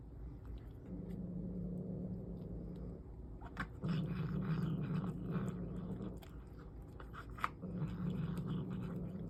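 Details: Mother cat making a low, steady growling noise because she wants her kittens' food. The rumble comes in several long stretches, and there is faint rustling and chewing-like clicks in between.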